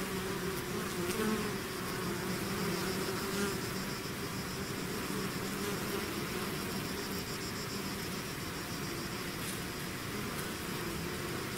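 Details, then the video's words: Bees swarming out of their hive: steady, many-voiced droning hum layered over a wide airy hiss, faint individual buzz tones drifting in and out, no other sounds. "bees therapy swarm natural buzzing sound"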